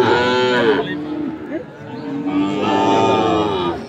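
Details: Fattening Sahiwal bull calves being bought and sold at Ambari market, Parbatipur, Dinajpur, 10 February 2025; a loud, drawn-out moo falls away after nearly a second, then a second rich bellow swells and holds, with faint voices beneath.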